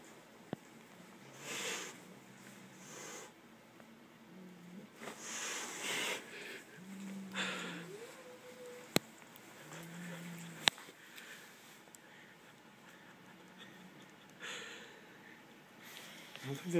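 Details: Two cats, Noah and Turbo, that seem not to like each other, face off indoors: low drawn-out growling moans, one rising yowl near the middle, and several breathy broadband hisses between them.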